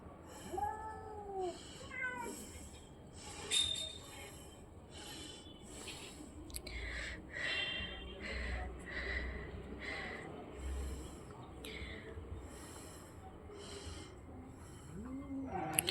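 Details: Orange and white cat fighting; short drawn-out, wavering yowls near the start and again at the end, with scuffling, thuds and steady background noise in between.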